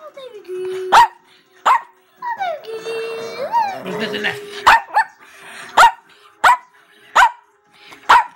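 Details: Female pet Chihuahua talking back: sliding whines and a long grumbling, wavering vocalization, then a series of sharp high barks spaced roughly every second, while a woman talks to her about a treat.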